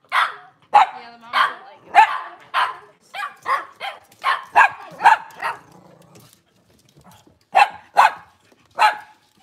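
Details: Cavalier King Charles Spaniel in a kitchen on a cloudy Monday morning. A quick series of a dozen barks, a pause of about a second, then three more spaced barks.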